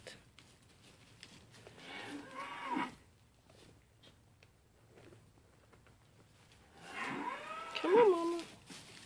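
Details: Mini LaMancha goats Maggie and Abbie, two sale-barn goats being tamed and eating from a hand, give two wavering, harmonic bleats, the first short and thin, the second louder and longer with a bending pitch, separated by quiet room background.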